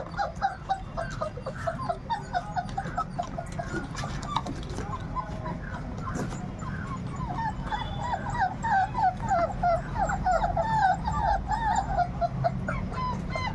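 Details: Labrador retriever puppies, 38 days old, give a dense, overlapping chorus of high, thin whimpers and short yips, each rising then falling, which grows busier and louder in the second half over a low background rumble.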